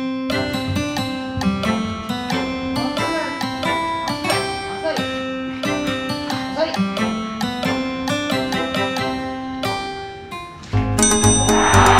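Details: Lively acoustic guitar music with busy picked and strummed notes, ending in a brief burst of noise, and no animal sounds.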